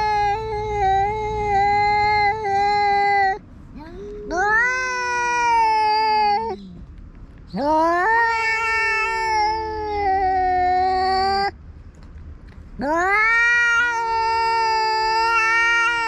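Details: Fight between a tabby-and-white cat and an intruding orange tabby in its territory, alternating drawn-out wails, some sliding downward and others rising and held, in four long bouts separated by brief pauses.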